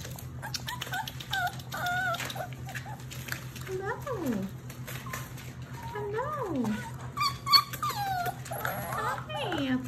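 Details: German Shepherd, Labrador and Rottweiler mix puppies from one litter, indoors, giving whimpering, rising and falling whines over a steady low hum, while a woman greets them with soft speech.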